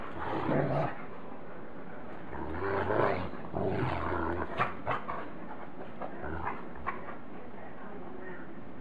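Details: Great Pyrenees dogs at play: adult Maggie sits on the wild puppy Lucy to calm her, and Bogey joins in. Low rumbling growls come in bursts, mixed with scuffling, snuffling noises and sharp clicks.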